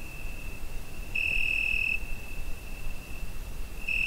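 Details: Cricket at night in summer, recorded on a Zoom H5: a thin sustained high note, one long louder ringing burst near the middle and another starting at the end, soft hiss below.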